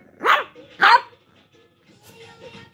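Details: Shih Tzu puppy arguing with her sister, giving two sharp high barks close together, then quiet with faint background sound.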